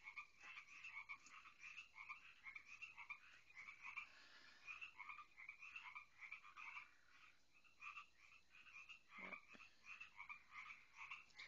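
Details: A crowd of loud frogs near a home pond, described as a plague, croaking in a dense chorus: rapid nasal notes repeated several times a second, overlapping voices rising and falling, a brief knock midway.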